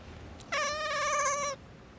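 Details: Pet cat that gets angry when its owner is about to sneeze, giving one sustained, steady-pitched meow about a second long, rich in harmonics, against a quiet room.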